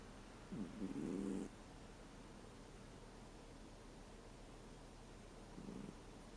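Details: Sleeping American Shorthair cat, 13 years old, snoring: a buzzy, low snore lasting about a second, then a shorter, fainter one some five seconds later, with faint steady background hiss.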